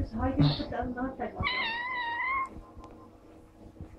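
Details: Playful little ginger kitten named Maddy gives a single long meow that rises and slowly falls, preceded by brief human talk, with quiet room noise afterward.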